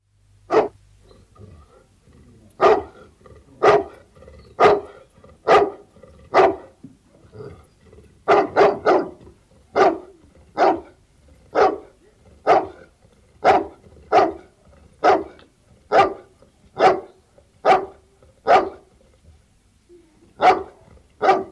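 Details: Bullmastiff barking outdoors, a sustained run of deep, loud single barks roughly once a second, sometimes in quick doubles, with brief pauses and no other sounds.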